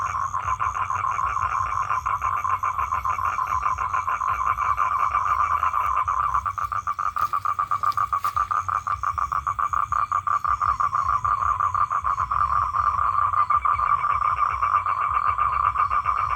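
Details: A calling male toad trying to attract females produces a long, even, rattling trill that never pauses, with a brief faint click near the middle and a thin high whine in the background.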